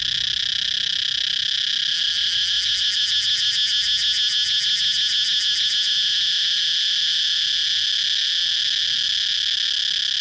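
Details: Shrill, sustained cicada buzz, with a burst of fast rhythmic pulses over the drone from about two to six seconds, then the steady hum alone.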